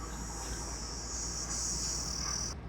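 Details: Crickets give a steady, high, shrill trill by a roadside village on a lightly misty morning near Nagarahole Tiger Reserve, with forest alongside and low road rumble beneath.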